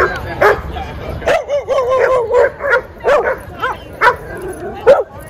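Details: Dogs at play in a Brooklyn dog park, several animals barking in short bursts with yips and whiny tones between, roughly one bark every half second, overlapping callers and faint human voices in the background.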